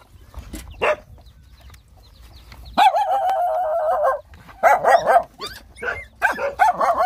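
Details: Rottweiler puppies nursing, described as hungry, give a sustained wobbling whine of about a second and a half, then rapid squeaky yelps and chirps overlapping one another.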